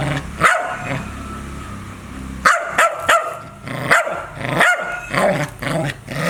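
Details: A dog barks loudly and growls, a lone bark then a rapid cluster of harsh barks after a pause, with a low rumble between them.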